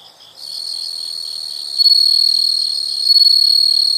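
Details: Insects calling in a nature soundscape: a shrill, unbroken high-pitched trill starts after a brief pause, holds steady, then swells noticeably louder near the two-second mark and again toward the end.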